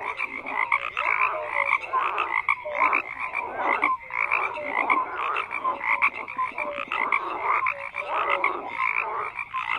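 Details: Numerous frogs calling at once: grating croaks and rhythmic pulse trains layered with brief downslurred tones, the chorus swelling and easing without stopping.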